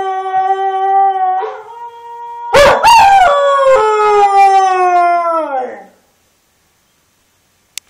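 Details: A Border Collie dog gives a sustained, wavering howl that rises after a brief yelp, then slides slowly downward and fades out, followed by silence.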